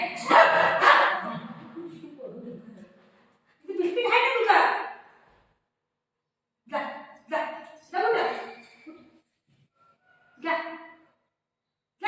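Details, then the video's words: Golden Retriever reacting to its mom's surprise visit indoors, giving short excited yips and barks in quick bursts, several clustered together then a lone bark, mixed with a woman talking in Marathi between them. "Adorable Golden Retriever Has the Best Reaction to Mom's Surprise Visit"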